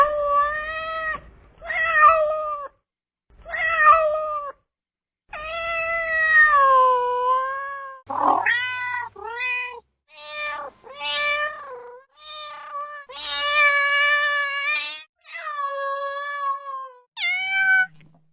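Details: Cats and kittens meowing in a long series of varied mews, some drawn out and wavering, others short and quick in succession, a few rising sharply in pitch; no other sounds.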